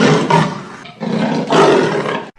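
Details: Leopard giving two loud, rough, breathy roars, each about a second long, with a brief dip between them, harsh and broad.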